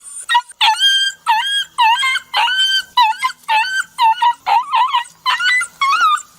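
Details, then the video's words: Dog crying and whining, described as emotional: rapid series of high, wavering yelping whines with a rising-falling pitch bend, about two per second, irregular spacing, each note strongly harmonic. "Emotional Dog crying and whinning sound"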